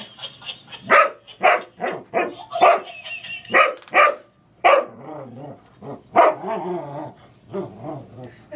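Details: Boomer, a pet English Springer Spaniel, wrestling with a toy monkey that laughs at him; sharp, loud barks burst out every half second or so in uneven runs, with softer grumbling sounds and the toy's laughter between them.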